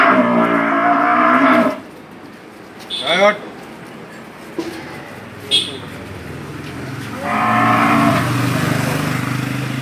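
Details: Milk cow at a farm in Bangladesh during a report on two cows being sold to a buyer from Patuakhali. Two long, loud, rich moos open and close the clip, with quiet farmyard noise and brief clatters between them.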